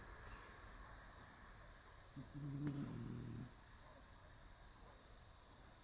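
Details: Curled neatly on a round stool in early March, the cat Shiro gives one low, rattling snore lasting just over a second, then near quiet with soft background hum.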